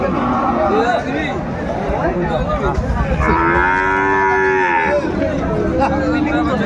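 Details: At a Kurigram cattle market in Bangladesh on 22 March 2025, a Sahiwal bull calf gives one sustained, rich-toned moo lasting nearly two seconds, slightly falling at the end, amid loud crowd bustle and talking.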